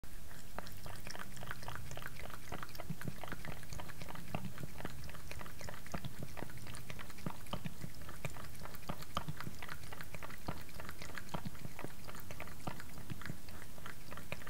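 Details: A male British Shorthair kitten drinking water indoors, recorded with a Panasonic X2000 camcorder and Rode VideoMic NTG microphone; rapid, steady wet lapping clicks continue throughout over a low rumble.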